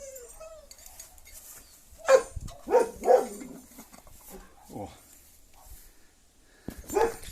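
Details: A domestic dog barks in brief, punchy bursts, several close together then one more after a pause, as people talk nearby in a Ukrainian yard where a grass snake eating the owner's toads is being caught.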